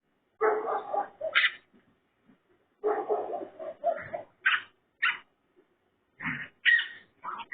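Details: Raccoon making pig-like sounds: harsh, harmonic squealing grunts in two dense bouts, the first at about half a second and the second near three seconds, mixed with higher, sharper squeaks and short gaps of silence.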